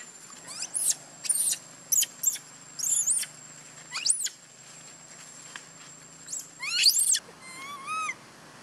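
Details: Young monkey Bailee cries after another monkey, Bella, hurt her. Bursts of shrill, high screeches come in quick succession, then a wavering, whining tonal cry closes the sequence.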